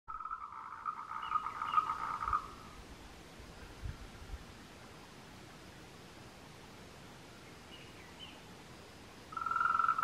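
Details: A tree frog gives a rapid, buzzy pulsed trill in bursts, its courtship call, recorded 26 April 2018 on the Meiling Wulong trail, Nanxi, Tainan, Taiwan.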